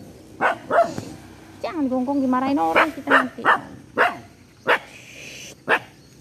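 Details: Domestic dog giving a series of single, clipped barks spaced roughly half a second to a second apart, interrupted by a stretch of human speech.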